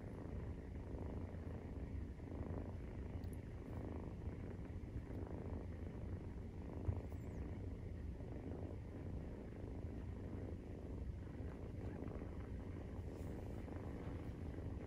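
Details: Steady, unbroken Maine Coon purr while nursing, kitten 43 days old: a deep rumble holding for about fifteen seconds with faint breath-paced pulsing and a few small high clicks.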